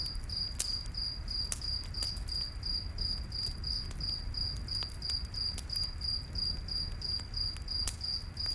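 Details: Night forest cricket keeps up a bright pulsing chirp, roughly three beats per second, over crackling campfire pops and a faint low rumble.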